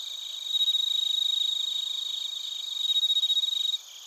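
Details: Bell crickets and other crickets in Narita, Chiba Prefecture, Japan, recorded on a TASCAM Portacapture X8: a high, bright ringing tone over a steady run of pulsed chirps, about four per second, that swell louder twice and then drop away near the end.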